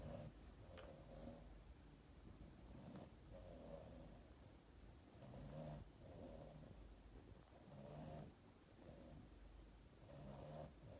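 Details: A Boston Terrier cuddling with its owner at Christmas snores in low, rasping, wheezy breaths that repeat every two to three seconds.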